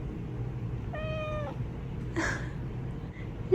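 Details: Young male Japanese Bobtail cat, rescued at about three months, answering a woman who talks to him while he is sleepy: one short, clear, slightly falling meow, then a soft rustle, with a low indoor hum.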